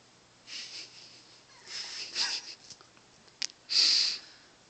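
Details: A corgi gives breathy, hissing snorts and sniffs after its owner stops petting it, asking to be petted again.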